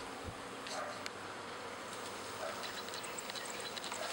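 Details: Many pet honey bees in a spring swarm, half the hive following a new queen to a second backyard hive; a loud, steady buzz layered with scattered sharp clicks and a low thump at the start.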